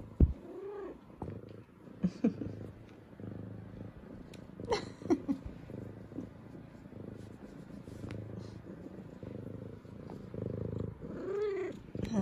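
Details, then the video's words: Female F2 Savannah cat welcoming her owners home from work indoors, purring steadily throughout with a few brief arched meows scattered over the purr, and a woman's voice briefly. "Cutest Good Morning Meows From Sweet Savannah Cat"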